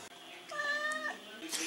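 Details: Pet cat adopted in Italy answers when asked if it wants to go out: a single clear, level meow lasting roughly half a second, followed by the owner's voice speaking close by indoors.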